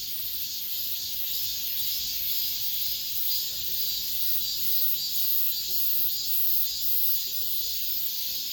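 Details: The season's last cicada song in an apartment complex: a relentless high, sizzling drone with subtle regular swells, and faint short chirps beneath it.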